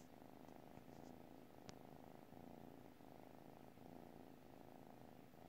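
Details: Sleeping cat purring steadily, a continuous low rumbling throb with a rhythmic pulse of breaths; a single faint click near the middle.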